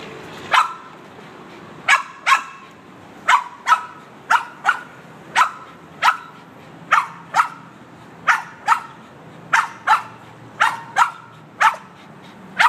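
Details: Boston Terrier barking at the car's windshield cleaner, a long sequence of sharp, clipped barks, often in pairs, repeated at a brisk uneven pace with light background hum.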